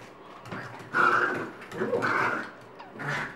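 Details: Chihuahua named Chica, playing with her beloved purple monkey toy one Sunday morning: three grumbling, nasal growl-whines, each under a second, rising and falling in loudness indoors.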